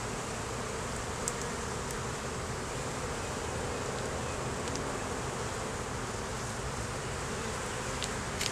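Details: Honey bee hive opened for inspection in a beeyard, queen laying and honey stored. A continuous, uniform buzzing hum fills the recording, with a few faint ticks from frames or tools. Filmed with a Canon Rebel T6 DSLR.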